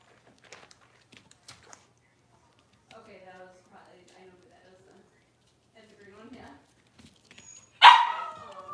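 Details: During deworming and nail trimming of six-week-old Cavalier King Charles Spaniel puppies, quiet talking and faint puppy noises give way to a single sudden loud bark near the end, in a small indoor room.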